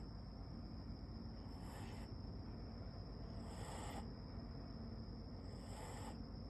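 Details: Siberian Husky puppy snoring while asleep: three soft, breathy, hissing snores spaced about two seconds apart, over a steady low background rumble and a faint constant high whine.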